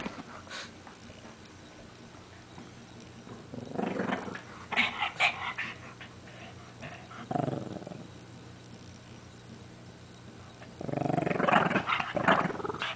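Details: Shih Tzu named Lacey, a pet dog, playing tug of war with a favourite pink blanket; rough, noisy growling bursts of a second or two come in four spells, with quiet pauses between.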